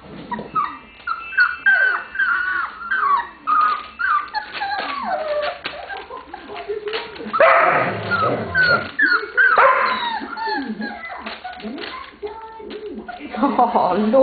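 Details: Lola's puppies, 27 days old, interacting in play: rapid high-pitched whines and yelps in uneven clusters, a louder rough burst midway, then scattered squeaks continuing to the end.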